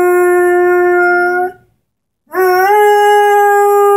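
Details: Ten-month-old Airedale Terrier Henry howls beside his beloved orange squeaky ball, holding a long even note, falling silent briefly, then resuming with a slight upward slide into another sustained, harmonic-rich tone.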